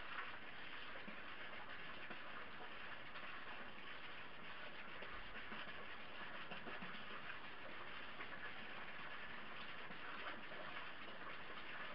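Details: Continuous mechanical rumble and broadband noise like a passing train or idling engine run throughout, without any animal sound.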